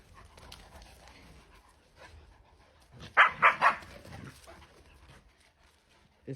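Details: Young dogs at play, quiet rustling broken by a quick run of three loud yelping barks in under a second, then low murmuring and a woman calling in Georgian.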